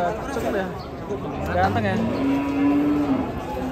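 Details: During unloading from a truck, a giant European-class cow gives one long, steady, low-pitched moo lasting about a second, preceded by shorter bellows, with voices and faint music behind.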